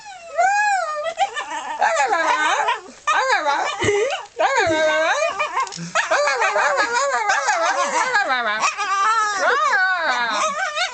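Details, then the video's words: Molly, a pet dog, makes her weird, peculiar noise: a long run of wavering, yodel-like whines that rise and fall in pitch almost without pause, with a few brief breaks and human laughter mixed in. "Molly making a perculiar noise.."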